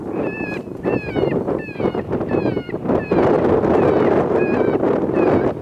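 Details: January 23, 2020 coyotes: clusters of sharp, high, downward-bending yips in quick bursts, a few per second, several voices overlapping, with gusty wind noise rumbling underneath throughout.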